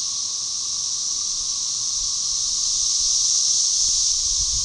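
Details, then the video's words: Brood XIX thirteen-year Cassini periodical cicadas, Magicicada tredecassini, in a synchronized chorus at Tyler Bend Park on the Buffalo River, north-central Arkansas, May 30, 2011: a dense, steady high hiss that slowly swells in volume, with a faint low drone beneath. "13 year Periodical Cicada "cassini" organized chorus"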